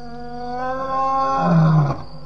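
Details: Lion roaring loudly at the Djuma waterhole, Djuma Game Reserve, around 12:20 am on May 9, 2017: one swelling, harmonic moan that builds and then breaks off abruptly, with a steady electrical hum underneath.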